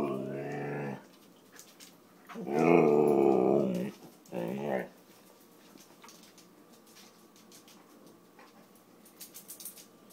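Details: Siberian Husky named Kiba talking because he wants dinner three hours early: a long, moaning howl-like vocalization, then a louder drawn-out yowl and a short grumble, followed by quiet room sounds.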